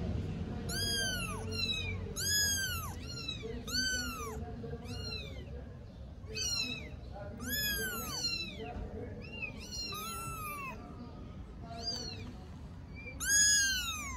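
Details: Young kittens, four weeks old, three of them among Istanbul's strays, meowing all together; rapid series of short arched meows with strong harmonics, crowded early, sparser later, ending with a loud cry.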